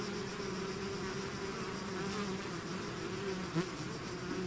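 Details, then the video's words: Dense buzzing of a bee swarm out of its hive, an even, layered hum with a single bee flying close for a brief loud whirr near the end. "bees therapy swarm natural buzzing sound"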